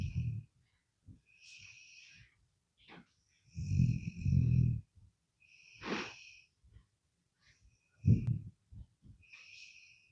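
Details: A sleeping dog snores in low, rumbling bursts roughly every one to two seconds. Thin, squeaky wheezing tones ride on several breaths, and there are short quiet pauses between the snores.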